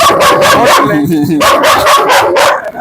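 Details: Bruno, a German Shepherd said to bite, barks in a fast, continuous run of harsh, rhythmic barks, roughly four per second, with a person's voice faintly mixed in.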